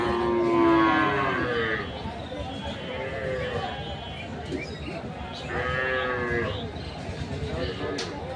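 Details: Deshal breed dairy cows with calves at the Kaharol cattle market in Dinajpur, Bangladesh, on 1 June 2024; a long low moo opens, followed by further lowing calls amid crowd chatter and market noise.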